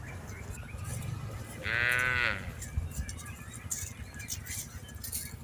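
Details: Brief, strongly harmonic call from tame cattle herded across a rice field, about half a second long and steady in pitch, set in a low, rumbling outdoor background with faint rustles.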